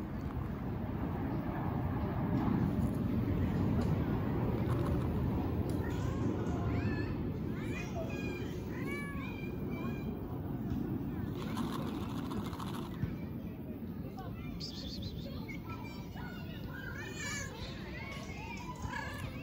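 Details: Calico cat meowing at length; a run of short, rising-falling mews repeated several times, loudest mid-clip, over steady low background rumble and some speech.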